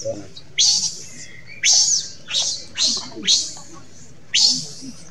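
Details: A monkey cries out for its mother in six high, harsh screams over about five seconds. Each rises steeply and then wavers at a high pitch, with brief pauses between the outbursts.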